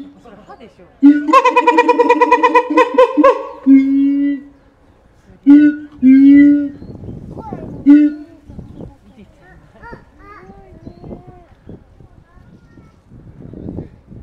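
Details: Siamang named Keiji, captive at Higashiyama Zoo in Japan, calling vigorously on 17 January 2023; the species often calls first thing in the morning. Deep booming notes lead into a rapid, rich harmonic bark series, then several shorter booms, fading to faint sounds.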